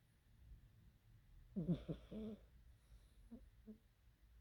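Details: A cat snoring while asleep indoors: one short rough, buzzy snort with a wheezy tone, then a few faint soft breathy puffs, in a quiet room.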